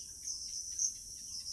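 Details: Crickets calling in a quiet rural village setting in the evening; a steady high, buzzy trill holds throughout with slight swells in loudness, over faint low background rumble.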